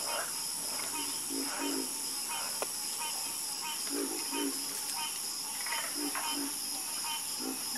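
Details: Harmonious frog croaking: brief low croaks repeated in loose clusters, some paired, over a continuous thin, high buzzing of insects.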